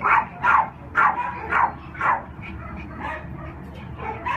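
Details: Shelter-held Cairn Terrier–Lhasa Apso mix, black and tan male aged three, unaltered, giving steady barks about twice a second, loud at first and then softer toward the end over low background hum.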